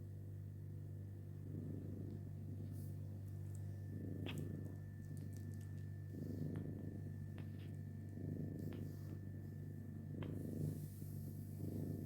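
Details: Purring from a household mother cat with kittens: throaty rumbling bursts recurring roughly every two seconds in a steady breathing rhythm, over a constant low electrical hum and a few light clicks.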